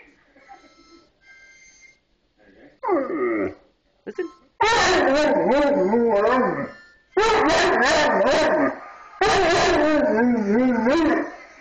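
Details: A 230-pound pet Bullmastiff howls along with a harmonica, long wavering tones sliding up and down in three sustained bursts after quiet notes, with a person speaking briefly before.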